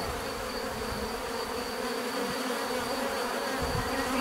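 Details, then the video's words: Natural buzzing of bees, a constant layered drone from numerous insects at once, steady in loudness, with faint passing whines of individual fliers over the continuous hum. "bees therapy relaxing natural buzzing sound"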